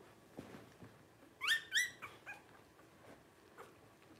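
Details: Litter of five Blenheim Cavalier King Charles Spaniel puppies, 12 days old, born around New Year's 2023 to Paris and Spike: two sharp, high, harmonic squeals in quick succession, then a few softer short squeaks over a quiet room.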